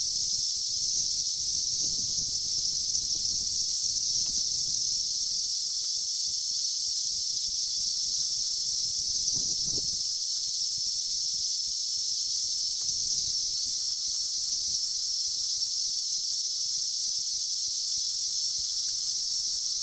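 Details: Billions of emerged 17-year cicadas in 2004 keep up an even, shrill whirring drone throughout, while a few soft low thumps and rustles come and go beneath it.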